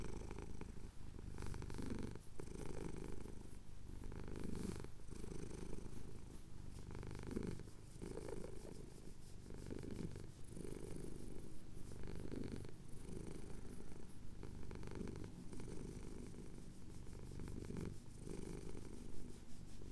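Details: Quieter, steady purring from a male cat getting a chin scratch at sunrise over the Cotswold hills, captured on a Tascam recorder; low continuous rumble pulsing with each inhale and exhale over twenty seconds.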